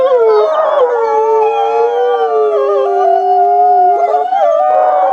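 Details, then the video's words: Several wolves howling together to communicate and bond with the pack: overlapping long, steady tones, some gently rising and falling, forming a continuous layered chorus with no pauses. "Sometimes wolves just love the sound of their own voice! Why talk when you can sing?"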